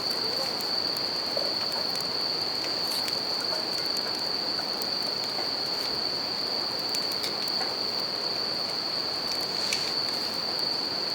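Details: Continuous ringing of bell crickets next to a campfire and river, an unbroken shrill tone over a dense rain-like wash of river water, with fire crackles clustered here and there.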